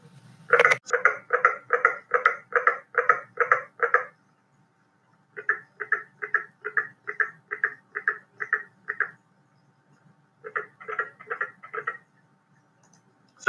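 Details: A carpenter frog gives rapid series of sharp double-noted knocks, "rick, ricket", like a hammer striking nails, heard in a wetland at night; a southeastern species at the northern edge of its range here.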